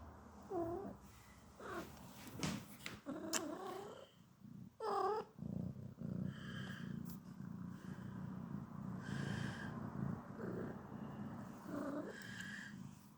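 A Sphynx cat gives a run of short, grumbling meows and low growly murmurs.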